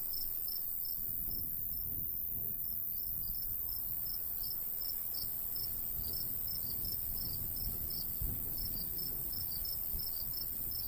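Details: Summer countryside cricket chorus over a golden wheat field in a light breeze: rapid, high-pitched pulsed chirps, overlapping and slightly uneven, with steady low wind noise beneath.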